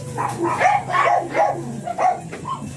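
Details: Blue Miniature Pinscher named Ziggs at a kennel in Manaoag in the morning, giving short, high, sharp yips in a quick run of about five bursts within three seconds, over a faint steady background hum.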